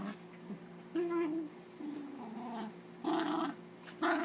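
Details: Domestic dog growling playfully during a play-fight with a second dog: four uneven bursts of low, gravelly, warbling growl, some drawn out for half a second, separated by near-silence.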